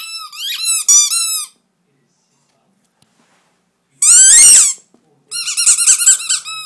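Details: Pet Miniature Dachshunds Blenheim and Jetson squeak indoors: a run of piercing whines, then a pause of over two seconds, a single harsher, rougher yelp, and a final cluster of wavering high squeals.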